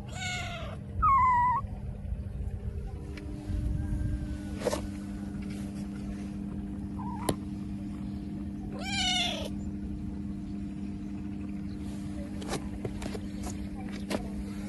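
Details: Kitten that has lost its mother, crying pitifully: a few high, falling, harmonic meows, two close together at the start and more later, separated by long gaps, over a steady low electrical hum.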